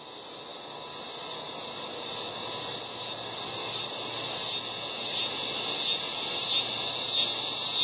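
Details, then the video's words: Loud cicadas calling in a yard in August: a dense, high, hissing buzz that slowly swells in loudness, with rapid pulsing throbs layered over the steady drone. "LOUD AUGUST YARD CICADAS"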